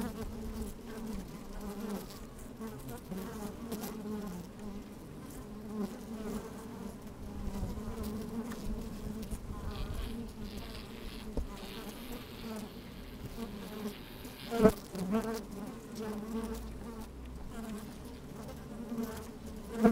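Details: Inside an opened beehive on a sunny, slightly windy day, bees move about and buzz: continuous low humming drone, a few sharp clicks or knocks near fourteen and twenty seconds, brief higher hiss midway.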